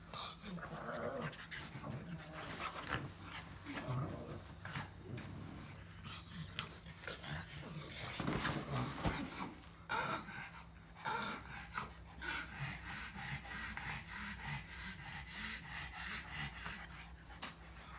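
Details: Grumbling pug producing rough, uneven snorts and throaty grunts, busier in the middle and then settling into quicker breathy puffs, while a constant low hum sits in the background.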